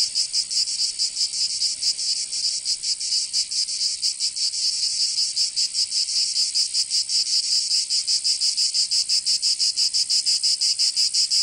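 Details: Shrill, continuous cicada song from a summer day in Provence, southern France, its high buzzing chorus pulsing at near three beats a second with a less even rhythm in the first half.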